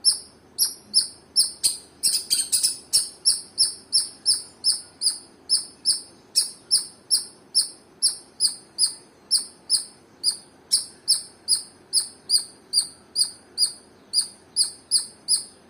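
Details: Squirrel giving a long run of high, sharp chirps, roughly two to three per second in a steady rhythm, with a brief scratchy burst early on and a faint low hum underneath.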